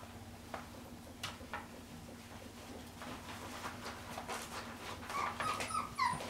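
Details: Salt-and-pepper male Miniature Schnauzer puppy, born 3 June 2018 and filmed indoors on 10 July; mostly soft clicks and shuffling at first, then a cluster of short, high, thin whimpers near the end.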